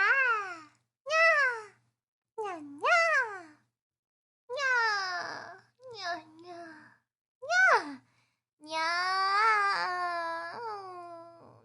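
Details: Cat at rest: a series of short rising-then-falling meow-like calls with gaps between them, then a long, drawn-out wavering call that carries on to the end.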